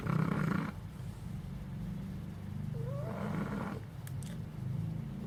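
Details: Puppy asleep, with a low, rough snore at the start and a softer second one about three seconds later. A faint thin rising whistle and a few light clicks come near the end.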